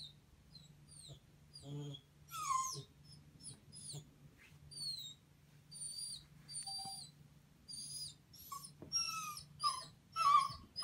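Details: Indoor wolfadoodle dog eager to climb onto a couch gives a long run of thin, high-pitched squeaky whimpers and short whines, some sliding downward, in uneven bursts over a constant low electrical hum.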